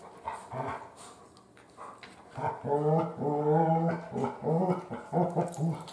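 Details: Female Great Pyrenees puppy named Biscotti, almost three months old, starts with scattered soft snuffles and knocks, then breaks into a sustained, wavering whine-growl followed by choppy grumbling pulses.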